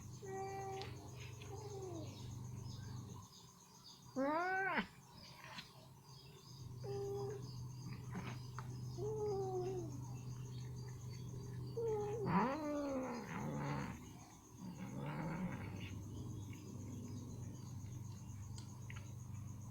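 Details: Ginger cat, chicken meat stuck in her teeth mid-meal, repeatedly voices short rising-falling meows and chirpy mews spread across the stretch, mixed with chewing clicks and a constant low electrical hum.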